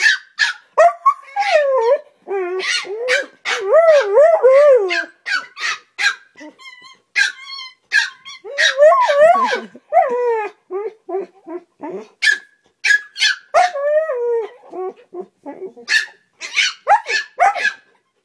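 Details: A husky and a chihuahua playing loudly indoors in the morning: wavering, howl-like yowls and warbling moans alternate with sharp yips and barks in bursts, with short pauses; a woman speaks briefly.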